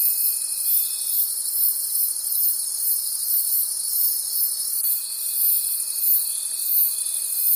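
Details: Crickets in a nighttime forest produce an unbroken, high, ringing trill with gentle rhythmic pulses; a thin constant whine cuts out early and returns near the end.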